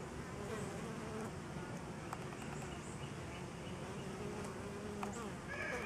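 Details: A crowd of honey bees at a DIY pollen substitute fills the air with a constant rough low drone, faint short high chirps above it and a rising tonal sound at the end.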